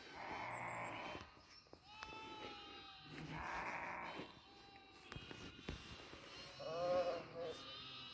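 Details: Goats on a goat farm bleating in overlapping, harmonic, wavering cries, with several animals calling at once and one long steady tone near the middle; faint human voices and farm clatter sit underneath.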